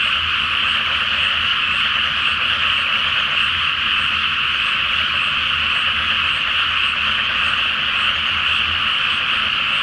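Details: Night-time chorus of frogs in a water-filled paddy before rice transplanting, beneath a full moon; countless voices merge into a continuous rasping drone that never pauses, with a faint low pulsing rumble in the background.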